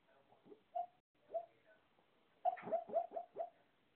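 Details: Shih-Poo dog dreaming while sleeping, making soft high squeaky whimpers. Scattered faint peeps come first, then a quick run of five sharper yips near the end, in a quiet room.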